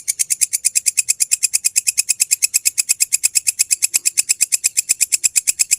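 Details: Belalang kecek grasshopper in a genuine recording for teaching songbirds. An evenly paced run of bright, high, scratchy pulses, about seven per second, continues strongly throughout.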